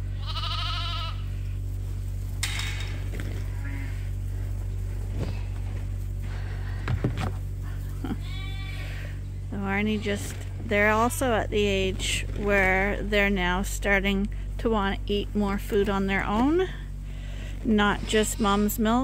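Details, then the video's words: Lambs at Ewetopia Farms, still with their mothers but topped up by bottle twice a day from a hand-made feeder, bleat in a busy overlapping chorus of wavering, quavering cries. A quiet stretch comes first, and a steady low hum runs throughout. "Sheep Farming: Bottle Feeding Lambs"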